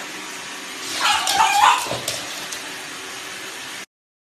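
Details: Pug puppy giving a short, high, wavering whine-like vocalization lasting under a second, with a brief yip after it, against a quiet household background.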